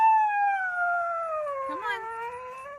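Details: A dog howls while being urged to get out of a new car: a long, smooth, slowly falling tone with clear harmonics, dipping in pitch toward the end, with a brief wavering break near the close.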